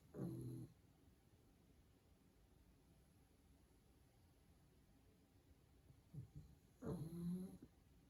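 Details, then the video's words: Sleeping pug dog indoors snoring: a loud low raspy snort at the start, then quiet, followed by two more harsh nasal snores near the end, with faint room noise between. "Cute Dog Sleeping & Snoring"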